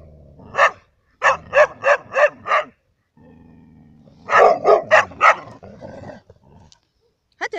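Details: Labradors and a hunter's dog in Cyprus: one bark, then a tight string of five barks, a lull with background rumble, then another cluster of loud, rapid barks.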